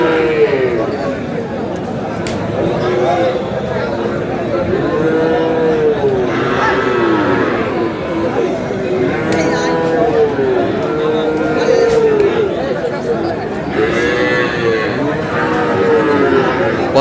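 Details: Kurigram cattle market, Bangladesh, with Sahiwal bulls for sale: repeated arching moos come in bursts every few seconds, some overlapping as if from several animals, beneath continuous loud crowd talk and price haggling.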